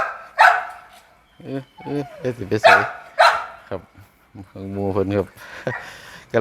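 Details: Grown-up pit bull puppies giving loud, harsh barks, one early and a pair a few seconds later, separated by stretches of a man's Thai speech in a small room.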